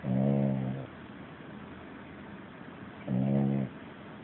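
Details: Puppy deep in sleep, snoring loudly; a low rattling snore at the start and another about three seconds later, both buzzy and droning, separated by quiet hiss.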